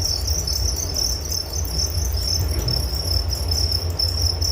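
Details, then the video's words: Nature sound of crickets meant to lull listeners to sleep, a continuous shrill pulsed chirping over a soft low background hum. "Relaksasi Suara Jangkrik Penghantar tidur || Nature Sound of Crickets"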